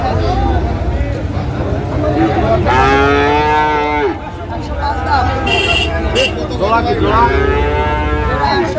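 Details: Sahiwal bull calves for sale at Ambari cattle market in Dinajpur, Bangladesh, on the first day of Ramadan 2025. Two drawn-out, harmonic moos, about four seconds apart, over market chatter, with a short vehicle horn blast between them.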